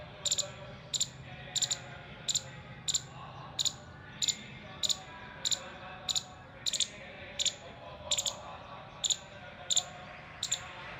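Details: An alert Indian palm squirrel, balancing its body, gives sharp, high alert chips in a steady series, a little more than one each second.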